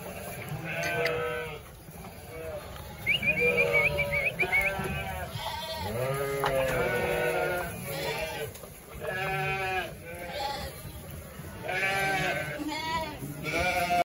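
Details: Bleating from a big flock of roughly 900 sheep and 900 lambs. Dense, overlapping quavering bleats of varied pitch come every second or so, both deep adult calls and thinner lamb cries, with constant background movement.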